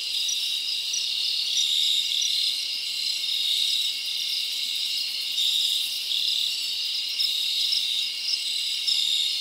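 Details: Night crickets in summer forest, chirping steadily: a thick, high-pitched pulsing drone of overlapping callers holding even loudness throughout, nothing else audible.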